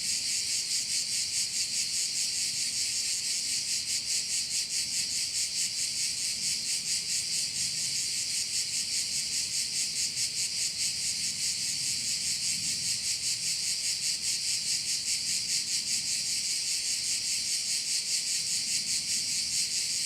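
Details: Korčula bayside crickets in Croatia keep up an unbroken, shrill, rapidly pulsing chorus for the whole stretch, steady in loudness, with only a faint low rumble underneath.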